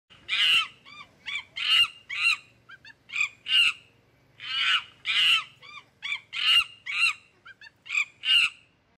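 A monkey gives harsh, squawking calls in quick bursts to gather its troop.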